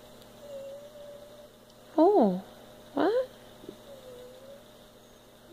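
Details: Domestic cat relaxing on a couch, apparently crying to be petted: two short, bending meows near the two- and three-second marks, with faint softer chirps around them over a steady low hum.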